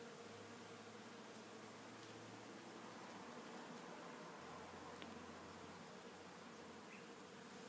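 Low droning hum of bees in flight, rising and fading as they pass.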